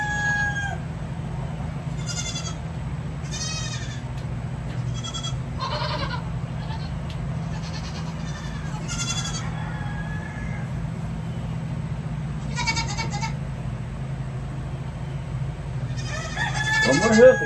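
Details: Baby goats bleating during hoof trimming: about a dozen short, nasal, quavering bleats come in bursts throughout, some overlapping, with gaps of up to a few seconds and a low background hum.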